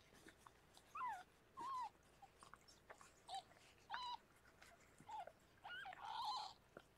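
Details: Rescued pregnant foster cat Harlequin giving birth to six kittens indoors; thin, high mews come in short bursts, about eight over seven seconds, some bending up then down, others flat, with soft rustling between them in a quiet room.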